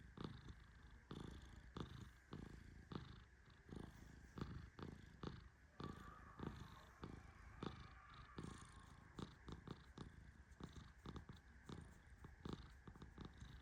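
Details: Gently stroked while asleep, the Persian cat Tehran keeps up a continuous low rumbling snore, dotted with many quick crisp clicks that grow denser toward the end.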